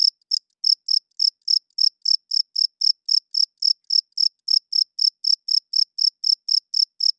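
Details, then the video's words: Cricket chirping loudly at night, a male rubbing its wings to attract females and hold territory; sharp, high-pitched chirps repeat about three times per second in a steady run, with no other sounds. "Cricket Chirping Sounds - Cricket klinkt 's nachts luid"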